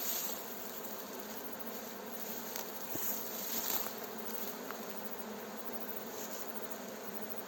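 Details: A fresh swarm of Western honey bees (Apis mellifera) gives a dense, steady buzzing that blends into a continuous hissy hum as a beekeeper guides it into a hive, with dry branches crackling and a distant village Adhan.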